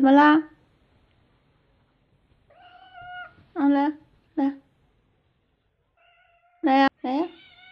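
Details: Mother cat warning a young stray that peeked at her newborn kittens; several short harmonic meows and drawn-out whining calls in a quiet indoor room.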